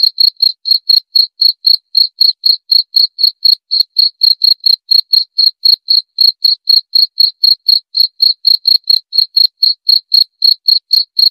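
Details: A cricket sings an unbroken series of shrill, evenly spaced chirps, around four every second, each pulse sharp and metallic, against complete stillness.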